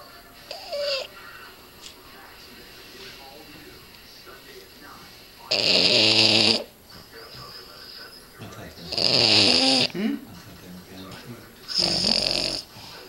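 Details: A red male Boston Terrier snores heavily in his sleep, each breath a harsh, buzzy rattle lasting about a second and coming roughly every three seconds, while people talk quietly in the background.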